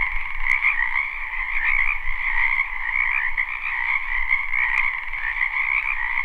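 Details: Frogs calling in a spring wetland, a live unlooped recording: thick, unbroken trilling chorus of many voices, backed by a faint low rumble throughout and two brief ticks.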